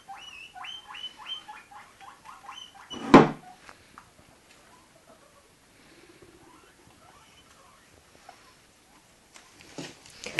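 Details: A few guinea pigs being caught: a burst of short, high squeals repeated quickly for about two and a half seconds, then a loud thump, near silence with soft rustling, and a clatter at the end.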